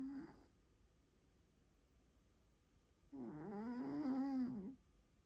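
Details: Domestic cat snoring loudly: a brief end of one breath, a quiet gap of nearly three seconds, then a long droning snore of about one and a half seconds with a wavering, slightly buzzy tone.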